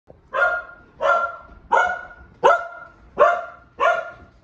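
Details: Boston Terrier and Keeshond, two pet dogs, barking excitedly to greet their owner arriving home; six loud, ringing barks at a steady pace, about one every 0.7 seconds, each with a sharp onset and a trailing tone.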